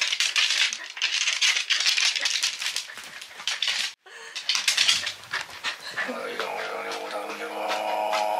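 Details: Welsh Corgi Kotaro, highly excited during an unusual night-time play session with its owner indoors; rattling, scuffling bursts give way after a brief pause to drawn-out harmonic whining and grumbling sounds in a small room.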